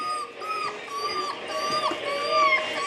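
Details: Seven-week-old puppies give high, thin whines, a run of short tonal cries repeated about every half second and overlapping, with a faint background hum.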